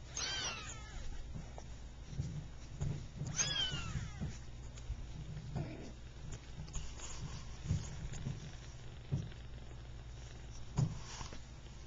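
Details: Three-week-old Persian kittens from a calico mother, two red and white and one cream and white, just starting to play; two thin, high meows with rich harmonics at the start and near three seconds, over low rumbling handling noise.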